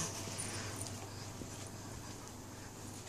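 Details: A male Burmilla cat, being brushed, which he loves, purrs with a low, steady rumble under a soft background hiss.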